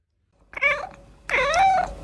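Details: Domestic cat giving two meows in quick succession: a brief harmonic mew, then a longer, louder call that rises and falls, against a quiet background.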